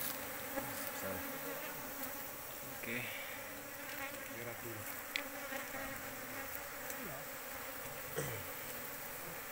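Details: Asian honey bees of a large colony in an oil palm plantation. Soft overlapping buzzes swoop past one after another against a steady swarm hum, with occasional ticks and faint rustling.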